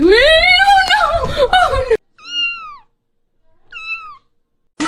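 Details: Cat meowing indoors: two short, clear, arched meows, each rising then falling, about a second apart. They follow a loud, harmonic human-like voice.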